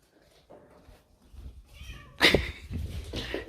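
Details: Domestic cat indoors, making a sudden loud, harsh meow after quiet low rustling, followed by a softer, drawn-out second cry.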